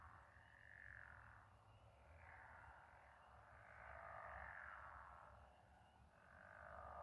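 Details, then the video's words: Frogs or toads calling together at night with the moon reflected on water; broad rasping croaks blending into slow waves of sound, rising and falling over a few seconds, low hum underneath. "Frog/toad symphony"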